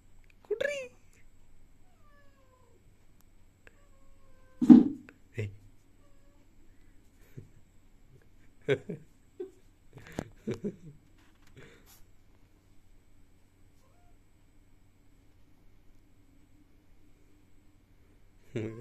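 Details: Domestic cat indoors giving several short meows, some bending up then down in pitch, spaced irregularly across the stretch with quiet gaps between, while a person talks nearby.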